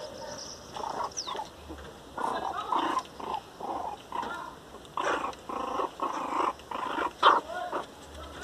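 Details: Teco, an angry Miniature Pinscher, crying very loudly: a series of short harsh growling and whining bursts, roughly one every half second to second, some with brief high whines mixed in, with quiet gaps between.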